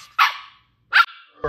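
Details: Ten-week-old female Shetland Sheepdog puppy named Ollie gives two short, high, sharp barks about three quarters of a second apart, with quiet between them.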